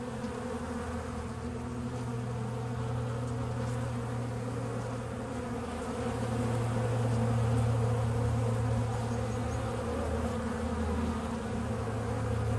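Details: Bees pollinating flowers give a steady, low, droning hum that swells slightly midway, with a dense layered buzz of many wings and no other clear sounds.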